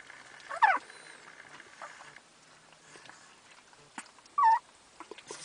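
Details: Dogs waiting in a van that would not start, described as devastated while waiting for a boost. Two short, high whines bend up and down, the second about four seconds after the first, with a person's soft voice and faint rustling.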